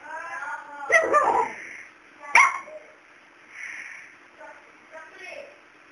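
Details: A male dog barks at Miracle, a cat that stays unafraid of him. Two loud, harsh barks about a second and a half apart, followed by softer muffled sounds and low murmuring voices.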